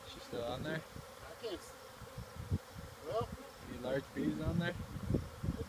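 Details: Wild honey bee swarm of about 30,000 bees being installed on a farm, disturbed as beekeepers search for the queen, bees raising their abdomens; low buzzing hum under close men's speech and handling thumps.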